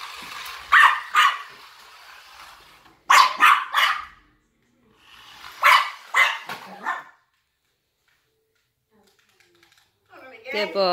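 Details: Maltese pet dog named DJ chasing and barking at a remote-control cop car; sharp, high yappy barks come in three quick clusters of two or three, separated by pauses, with a brief tonal sound at the end.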